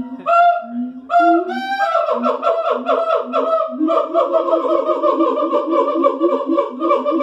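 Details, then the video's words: At the Columbus Zoo in the morning, siamangs open with a few loud rising whoops, then break into a fast, dense chorus of barking hoots and overlapping shrill notes that continues without pause. "Siamang at the Columbus zoo. Vocalization."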